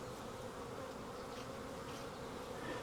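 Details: Wild honey bee swarm on a tree branch, gathered into a nuc box, giving a steady low-pitched drone of many wings, even in loudness and rising slightly toward the end.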